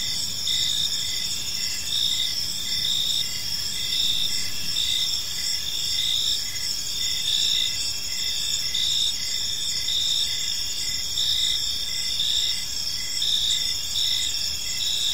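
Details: Park crickets at evening produce a steady, unbroken high-pitched chirring drone, several overlapping insects blending into a constant shimmering trill over faint distant rumble.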